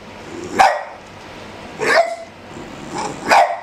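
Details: A one-year-old Boston terrier plays with an eleven-week-old black pug puppy on a dog couch, giving short, sharp barks and yips, about four in under four seconds, spaced irregularly.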